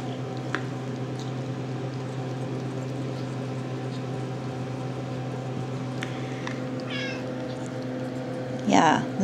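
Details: RagaMuffin kitten of the Shrek litter, 10½ weeks old, indoors: a short high meow around seven seconds, then a louder, strained meow at the very end, over steady room hum and a woman's hoarse voice talking to the kittens.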